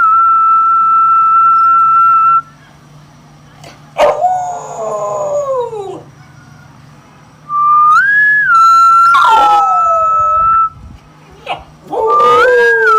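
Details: Rottweiler; howl; responding to a human whistle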